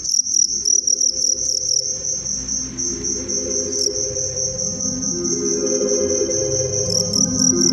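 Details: Cricket of the family Gryllidae, whose loud call attracts females. A shrill, high continuous trill holds steady throughout, broken into rapid pulsed bursts near the start and end, over soft background music.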